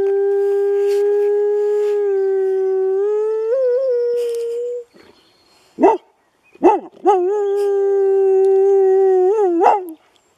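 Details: Thai, a pet dog, howls in long sustained tones near steady pitch that lift and waver toward the end, then after a short pause gives a few sharp yelps before launching into a second long, wavering howl.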